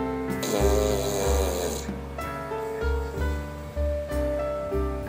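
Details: Sleeping dog, a French Bulldog or Pug, snoring very loudly; deep rumbling breaths repeat roughly every second, each a low rasping drone, under steady sustained music tones throughout.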